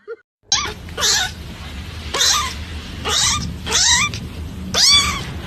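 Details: Cat in a compilation of funny, cute cats, giving a run of drawn-out, rough meows about once a second. Each cry bends upward and then falls, with harsh high overtones over a low steady background hum.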